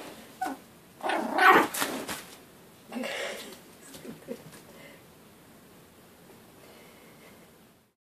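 Young Yorkshire Terrier puppies let out a short burst of high, cat-like squeals and whines, then softer whimpers a moment later. The sounds fade into quiet background rustling.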